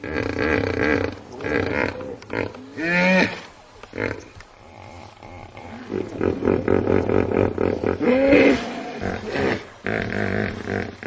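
A hippopotamus gives loud, deep, rumbling honks and grunts in a run of harsh bursts.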